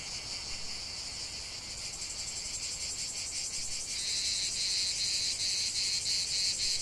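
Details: Chorus of cicadas in a lavender field, a shrill continuous buzz that grows louder midway as a closer singer joins with rapid, regular pulses riding on the high drone.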